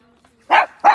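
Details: Long-haired chihuahua on an outing at the pet-friendly Chenonceau château in France gives two short, sharp, high-pitched yaps about a third of a second apart after a quiet lead-in.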